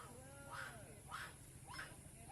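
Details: A puppy cries in three short, harsh yelps, each rising then falling, about half a second apart, while held high up by a wild monkey for three days in a Malaysian housing area surrounded by jungle.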